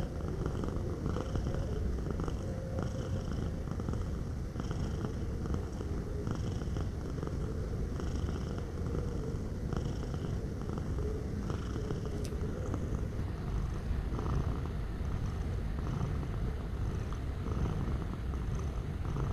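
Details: Close, deep purring from a cat, an unbroken low vibrating drone with gentle rhythmic pulses from its breathing; a single sharp click cuts in briefly about two-thirds of the way through.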